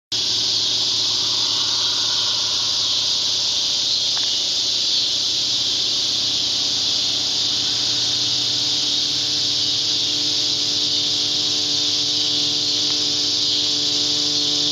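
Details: Flying cicada producing a loud, unbroken, high-pitched buzzing drone that holds steady for the whole fifteen seconds with no pauses.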